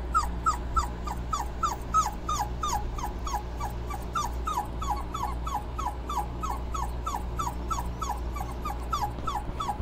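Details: Whimpering from Dobermann puppies as they cool off with their mother nearby: rapid, regular high squeaks, each sliding downward, repeated roughly three times a second throughout, with a steady low background drone.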